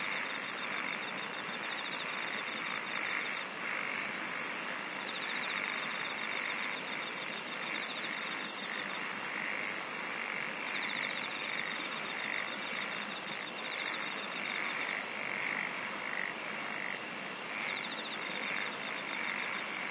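A dense insect chorus of steady high trilling, with sharp pulses repeating under a second apart.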